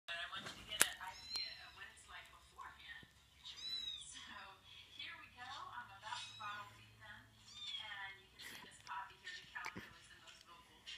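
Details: Several kittens crying while a dog reacts to them; overlapping high, arched mews with strong harmonics, repeated in quick succession throughout, some thin and rising, with soft rustling underneath.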